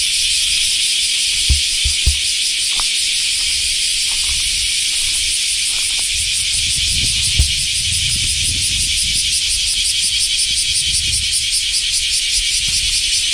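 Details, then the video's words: Japanese common cicadas (semi) singing as summer arrives after the rainy season; a constant shrill buzzing wall of sound, with low rumbling and a few faint knocks beneath it. "sound of summer in japan semi insects"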